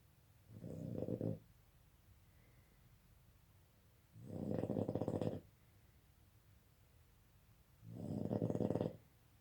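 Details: A Boston Terrier snores loudly during the Covid lockdown, each rough, rattling breath lasting about a second.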